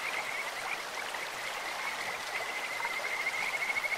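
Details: Kajika frog croaking in a clear stream: a faint, high-pitched trill running throughout and building into quick pulses near the end, half-buried in the hiss of flowing water.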